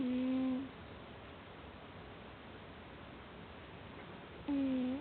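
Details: A cat sleeping soundly indoors snores. One low, tonal, slightly falling hum-like breath opens the clip, a long quiet pause follows, then a second matching snore comes near the end.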